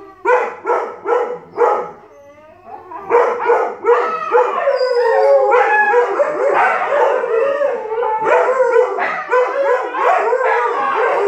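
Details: Malamute puppy and Siberian Husky argue, their exchange turning into howls: opens with a few choppy yips, then a dense run of overlapping wavering howls and woo-woo calls, loud and continuous.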